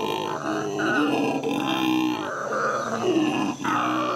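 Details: Howler monkeys at the Los Angeles Zoo, recorded in May 2014, give rough, roaring howls in overlapping pulses, harsh and grunting, with brief dips in loudness between bursts over about four seconds.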